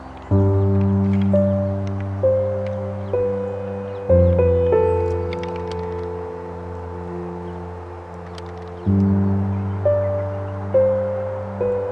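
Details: Slow ambient music of deep, ringing gong-like tones swells and decays in repeated strokes, with no animal sound audible.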